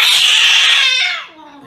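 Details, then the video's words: Domestic cat getting an injection, letting out a short, harsh, high screech that breaks into a falling, wavering wail and fades quickly. "Funny Compilation Cat Injection"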